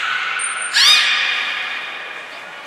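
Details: At the Port of Nagoya Public Aquarium, 11 January 2021, belugas Nana, Mirai and Niko train: after a high thin whistle blast comes a sudden bright burst with curving sweeps, then a sustained harmonic tone that gradually fades.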